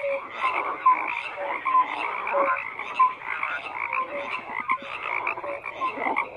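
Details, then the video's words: Chorus of frogs, steady overlapping croaks with short bright tonal notes popping out about once a second over a continuous rattling background. "FROGS CROAKING"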